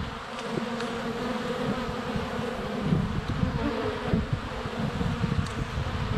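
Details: Close-range GoPro recording at a honey bee hive entrance on a sunny February day: constant rich buzzing of many bees in flight, with small clicks and taps as bees land on the camera.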